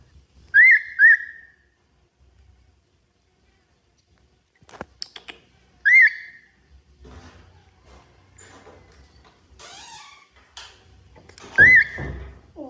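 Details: Baby monkey crying with shrill, whistle-like upward-sweeping cries, a quick pair at the start, then single cries several seconds apart. A person speaks and handling noises and clicks come between the cries.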